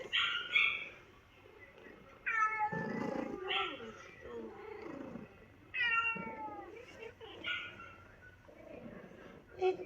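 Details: New Zealand family cats react to a recording of another cat meowing sadly on a trip to the vet; clear mournful meows in bursts, each sliding downward, mixed with human speech and rustling indoors.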